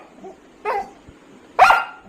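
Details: Pattu, a Labrador Retriever, reacts while the leash goes missing with two abrupt barks, one soft and one louder and rougher, spaced about a second apart between murmured human speech.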